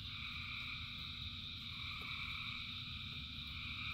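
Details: Short stretch of a rainy-night frog chorus: countless frogs sing at once, producing steady shimmering high tones, with heavy rain hissing and drumming low in the background.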